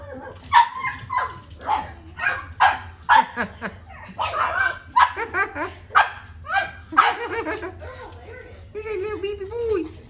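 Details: Playful pug puppies yip and bark in quick, irregular bursts mixed with human voices, ending in a drawn-out higher whine and wavering whimpers.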